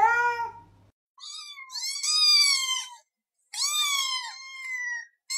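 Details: House cat meows that signal it wants something specific: a short low meow, then two long, high, wavering cries that bend upward and drop away, separated by brief silences.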